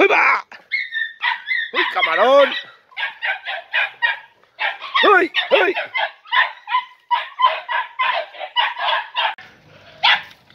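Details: Four Podenco Andaluz puppies, three and a half months old, during their first time in a riding arena: high, yelping barks fired off in dense, overlapping bursts, with a few longer whining cries mixed in.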